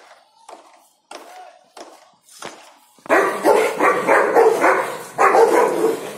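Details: Rottweiler during play: a few soft, short barks spaced about half a second apart, then from midway a run of loud, harsh, rapid barks close together filling the rest of the clip.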